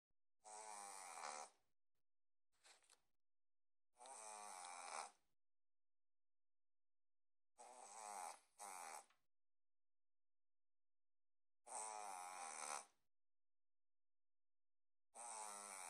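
A Boston terrier snores loudly in rough, rasping bursts every few seconds.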